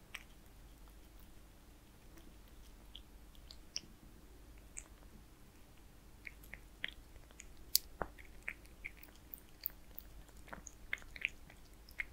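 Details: Zayka, a kitten, chewing Purina Perfect Fit wet food; moist smacking and tongue clicks come in uneven bursts, busier in the second half, against a quiet low hum.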